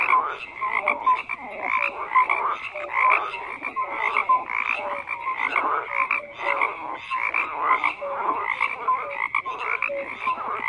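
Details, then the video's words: Frog chorus from a long nighttime soundscape: dense overlapping croaks and short whistled notes from many frogs, pulsing roughly twice a second, steady throughout with no other sounds. "FROGS CROAKING"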